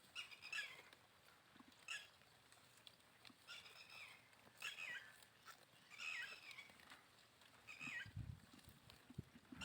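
A goat bleats again and again, each call a wavering, nasal cry coming every second or two.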